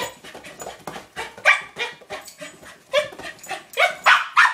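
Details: Excited yaps from Cooper, a corgi playing with his new toy ball indoors: uneven clusters of short, bright barks, growing louder and sharper toward the end.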